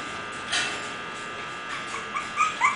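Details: Young English Bulldog puppies giving brief high whimpers and squeaky yips, one or two early and then three sharp rising squeals near the end, with a faint background hum.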